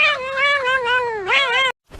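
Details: Domestic cat giving a drawn-out, wavering meow that dips and rises again, ending abruptly, with brief noise after.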